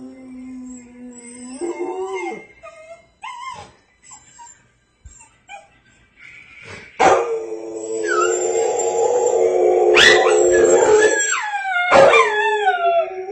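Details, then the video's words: A Rottweiler howls at a Swiffer television commercial; short yelping whines give way to a long, sustained, wavering howl with rich harmonics, then sharp falling cries, over faint commercial music. "Rottweiler howls at swiffer commercial"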